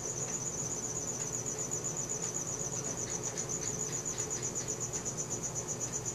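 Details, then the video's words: Crickets at night, recorded on a Samsung Galaxy S4: a steady high, rapid pulsing trill running without pause, with a faint low hum beneath and a few soft ticks. "CRICKET SOUNDS | RELAXING SOUNDS OF NATURE AT NIGHT"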